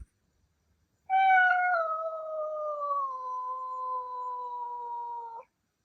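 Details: Male Ragdoll cat, born 2021, indoors, giving a long wolf-like howl: one sustained tonal wail lasting about four seconds that starts higher and slowly slides down, then holds steady before cutting off.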